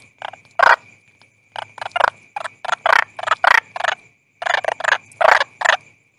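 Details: Toad calling in short, rough pulsed bursts of croaks, about a dozen separated by brief pauses, with a thin steady high-pitched tone running underneath throughout.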